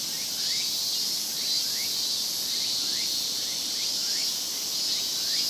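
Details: Japanese cicadas singing together in a Japanese summer, a dense high-pitched whine with short upward-sweeping chirps recurring about once a second over the steady drone.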